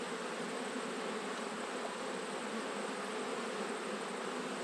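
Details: Dense, unbroken roar of many honey bees in autumn, a thick broadband buzz at constant loudness with no other sounds standing out.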